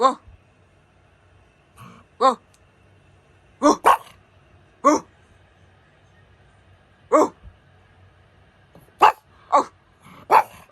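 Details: Pug dog barking indoors, single sharp barks spaced irregularly, some pairs close together near the end, over a low steady hum; a person's voice is also recorded.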